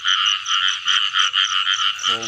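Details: Rain-season frog chorus heard while catching frogs: many overlapping buzzy croaks that pulse about five times per second without a break, and a brief human voice cutting in at the close.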